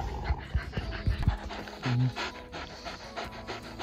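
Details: Leonberger dog panting in quick breathy bursts, roughly one or two per second, with a few low thuds at the start, a steady background hum and a faint musical tone.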